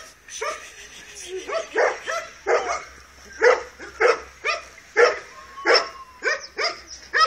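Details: Dogo Canario puppy Tyson, two months old, gives short high yelping barks in an irregular string, roughly one every half second, with faint background noise.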